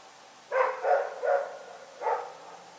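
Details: Dog named Rex barking at night in Pyrga; four sharp, mid-pitched barks, three in quick succession and one after a short pause, over a quiet background.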